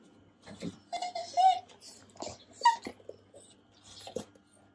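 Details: Gromit the beagle indoors, chattering his teeth from hunger while waiting for a late breakfast. Rapid clicky bursts mix with short, high nasal whines that rise and break off, irregular over five seconds; a second dog, Penny, whines when breakfast runs late.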